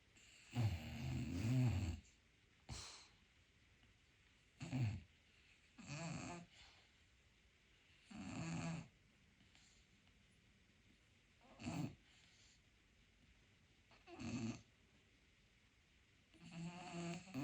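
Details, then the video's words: Pet dog named Roki sleeping indoors and dreaming, snoring quietly: about eight low, rumbling, breathy snore bursts spaced roughly two to three seconds apart, with faint room hiss between them. "это ему снятся сны и он еще тихо храпит"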